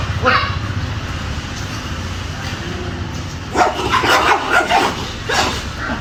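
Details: Angry Dobermann barking: a short harsh bark near the start, then a burst of several rough, irregular barks in quick succession over about two seconds, over a steady low rumbling background.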